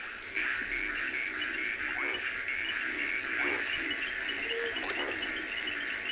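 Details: Reed frogs calling from a river in a dense chorus of high, short, rapidly repeated chirps, heard on an afternoon game drive in a South African private game reserve, 14 October 2020.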